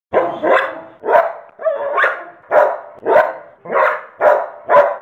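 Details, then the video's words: A young dog barking in a steady series of about nine sharp, mid-pitched barks, some doubled, spaced roughly half a second apart with brief pauses between, clear and close with no other sounds. "Young barking dog/Junger bellender Hund/ Młody pies szczekanie"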